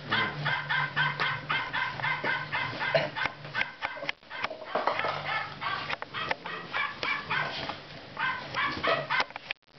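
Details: Golden retriever puppies from one litter, 58 days old, playing with their owner; rapid rhythmic high yips about three per second, in bursts with brief pauses, over a low steady hum.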